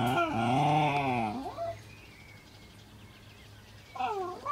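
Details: Cairn Terrier puppies born 25 April 2012 and recorded 12 June 2012, about seven weeks old. A long wavering whine lasts about a second and a half and dips in pitch. After a quiet stretch, a shorter rising whine follows near the end.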